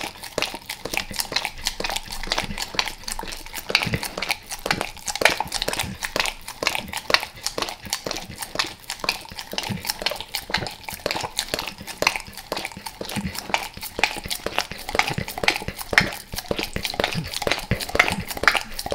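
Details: Close smacking and slurping from Max, a dog eating natural peanut butter with peanut butter oil, El Paso; sustained irregular licks around two per second, sharp and moist.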